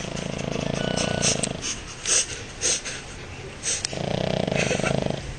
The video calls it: French Bulldog - Bonjour_snoring.wmv